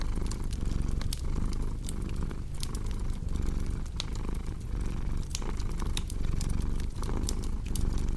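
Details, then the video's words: Rumbling purr of a cat, pulsing with quick regular breaths, layered over the busy crackle and occasional louder pops of a fireplace. "Purring Cat with Cozy Crackling Fireplace Sound"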